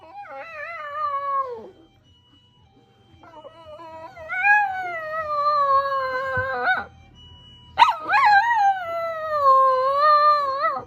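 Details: Kokomi, a nine-year-old toy poodle, and Momoka, a five-year-old Chihuahua–Maltese mix, are pet dogs answering an ambulance siren. They give long drawn-out wavering howls lasting several seconds, with pauses between, over a faint low hum.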